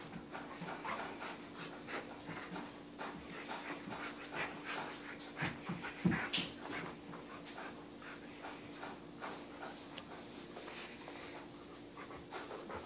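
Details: Rapid, rhythmic panting, roughly three breaths a second, comes from a 14-month-old English Cream Golden Retriever playing rough with a toy elephant, humping it and flinging it around; one louder knock sounds midway.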